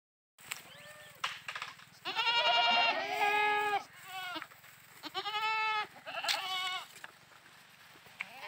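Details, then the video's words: Goats bleating while playing: several wavering, harmonic-rich bleats, some long and quavering, others short, overlapping in a busy run with a steady low hum underneath. "goats chirping mind satisfaction videos goat playing videos bakre playing videos bakre ki aavj"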